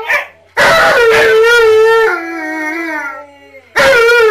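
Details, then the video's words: Husky group singing, Tonka and Monroe with K'eyush the Stunt Dog: a loud, wavering howl for about a second and a half, a softer lower held tone, then a strong howl returns. "Husky Dogs Singing With Husky Dog!"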